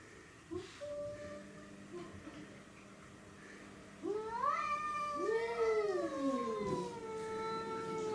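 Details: Domestic cats Tom, black and white, and Mimi and a stray, both white and ginger, in a territorial fight: a long, wavering caterwaul rising and bending in pitch from about four seconds, after scattered short sounds.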